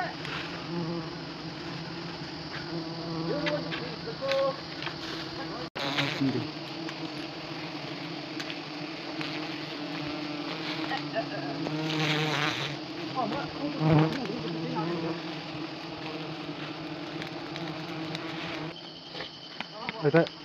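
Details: Swarm of honey bees disturbed during traditional hive harvesting in Nagaland, India: a loud, continuous many-toned drone with swelling passes of bees flying near, a sharp knock partway through, and brief human sounds.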